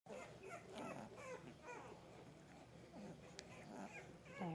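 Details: English bulldog puppies raised on a ranch in Kansas, giving overlapping squeaky whimpers and little grunting squeals throughout, with a woman talking softly to them nearby.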